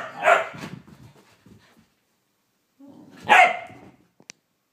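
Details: Indoors, Blu the whippet is going crazy in a mad five-minute burst, giving two sharp, loud barks about three seconds apart, each trailing off into rough, growly noise, followed by a brief click.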